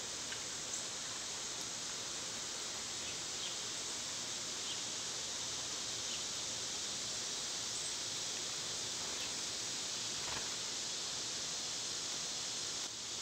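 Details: In a backyard in summer, a steady, high-pitched cicada drone hisses on without a break, with a few faint chirps flickering above it.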